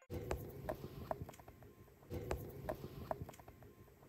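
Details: Hamster; cooing; contentment and happiness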